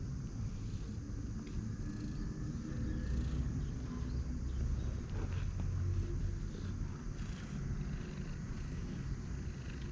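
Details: A stray Siamese cat met on a roadside purrs in a low, steady rumble close to the listener while circling the person's feet affectionately.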